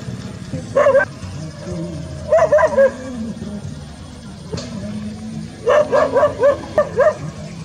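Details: Village dogs in a countryside rice field setting; short sharp barks come in bursts, a single bark near one second, a pair at two and a half seconds, then a quick run of five barks, over a low background hum.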